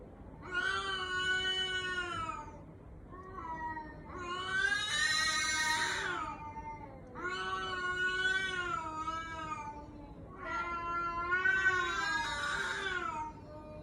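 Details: Cat whose voice sounds like a crying human baby: four long, drawn-out wailing meows, each roughly two seconds, separated by short pauses, some rising into a harsher, strained quality before dropping.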